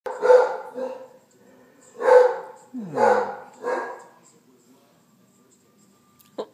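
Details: Basset Hound barking and talking indoors while a second dog barks at a hot water heater; four loud, broad harmonic barks in about four seconds, then quiet and a click at the end.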